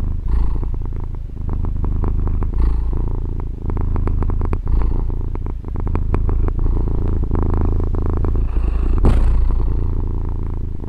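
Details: Domestic female cat purring, recorded with a Tascam DR-40 as part of a one-hour recording: a continuous low rumbling drone with rapid pulsing texture, steady throughout with brief soft clicks and a faint louder rustle near the end.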